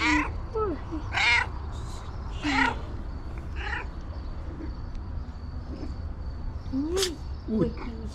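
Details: Female pet cat meowing rapidly in short, sharp bursts with harmonic, slightly rising tones, roughly every second or so, as a woman talks affectionately to her between calls.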